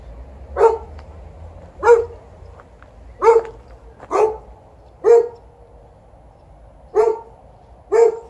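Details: Golden Retriever TJ complaining about the duration of an evening walk with a series of seven loud, abrupt barks, each short and punchy, repeated roughly every one to two seconds, with a quiet low hum underneath.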